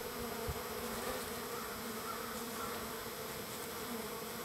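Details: Wild bees swarming a feeding spot on feeding day three, many insects together making an even, low, sustained drone with light knocks at the start.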